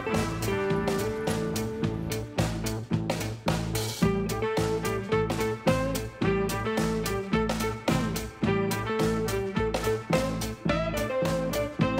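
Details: Upbeat swing-style music with plucked guitar and a steady rhythmic beat fills the whole stretch, with no animal voice heard.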